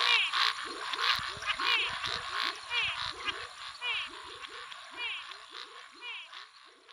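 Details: Venezuela snouted treefrogs (Scinax x-signatus) give advertisement and short, rasping territorial calls, repeated rapidly over a dense chorus of Pithecopus nordestinus, Physalaemus albifrons, Leptodactylus vastus, Pseudopaludicola pocoto and Dendropsophus nanus.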